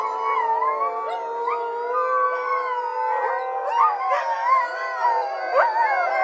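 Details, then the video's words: Siberian Husky dog team howling together: many overlapping, sustained tonal howls that slide up and down in pitch, layered into a dense, continuous chorus with occasional higher rising wails. "Siberian Husky Dog Team Howling"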